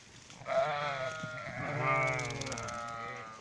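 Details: Sheep being brought in for the night on 26 July 2017, giving long, wavering, quavering bleats that overlap one another, one swelling in loudness midway before trailing off.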